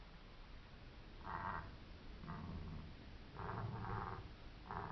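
Striped hyena giving short, harsh, breathy bursts with low rumbling between them.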